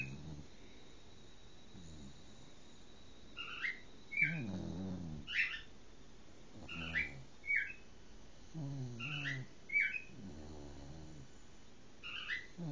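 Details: Cocker Spaniel named Lottie asleep and curled up after an afternoon at daycare, a long walk and a bath, giving low rumbling snores in slow breaths, while small birds chirp sharply in the background.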